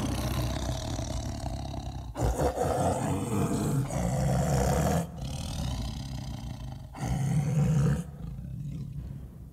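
A tiger gives deep, rumbling roars in two long, powerful bursts.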